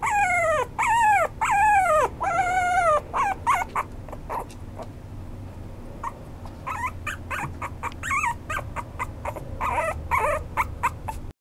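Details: A toy poodle and Maltese cross, the Maltipoo, gives loud, long, falling whines in a row at the start, then breaks into choppier, shorter yips and wavering cries that grow quieter toward the end.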